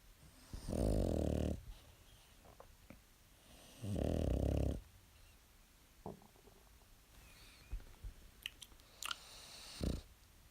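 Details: Pet dog snoring indoors: two loud, low, rumbling snores about three seconds apart, each lasting under a second, followed by quieter breathing and faint small clicks.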